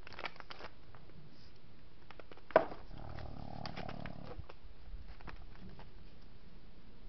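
Bighorn sheep butt heads in a fight, giving one sharp, cracking clash of horns.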